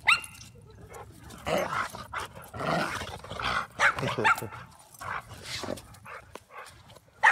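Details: Domestic dog barking in brief bursts, with a stronger pair of barks in the middle and a sharp one at the end, voices audible throughout.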